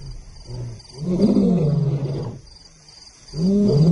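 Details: Roaring by lions intruding into Simba's territory, the ultimate insult; low, rumbling grunt-roars in two loud bouts separated by a near-silent gap, a faint steady high tone in the background.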